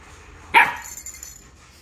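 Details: A Siberian Husky puppy, confused by the heat of a hot coffee mug he was sniffing, argues with it in a single short, sharp bark.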